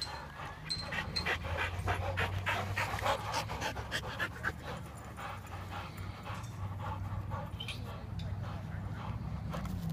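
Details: Dog panting, recorded during an encounter between a very large male husky and a pit bull: quick breathy puffs repeating about three times a second, steady throughout, over a low rumbling hum and faint background noise.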